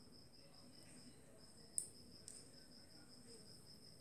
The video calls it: Clicking Click Beetle